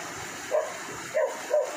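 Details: Belgian Malinois named Amber, out buffalo hunting on Siargao and being called back after a swim, gives three short, high yelping barks spaced about half a second apart over steady outdoor background noise.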